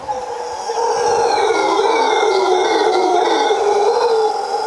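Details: Howler monkeys in Costa Rica at sunset, roaring in a deep, sustained, droning chorus that swells after the first second. The howling then holds at a steady, loud level to the end, with no other clear sounds.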